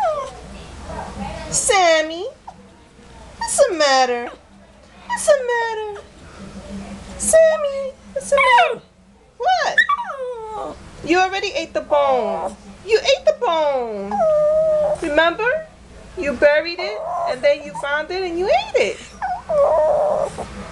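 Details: A Shih Tzu complains about smiling and being bathed, whining in long, swooping, yodel-like bursts of rising and falling cries.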